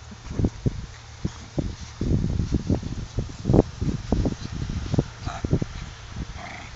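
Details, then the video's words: Five Tibetan Spaniel bitches in heat at a kennel give a rapid, irregular string of short, low, gruff bursts. The sounds grow loudest midway, with a faint higher squeak near the end. "Tibetan Spaniel - Bitches In Heat"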